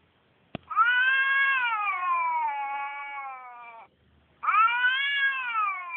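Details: A Turkish Van cat, apparently wondering where another cat is, gives a long, drawn-out yowl, then starts another after a brief pause.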